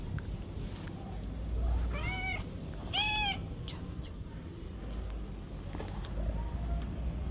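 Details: A stray tabby cat living on the street gives two clear, arched meows in quick succession over low rumbling background noise.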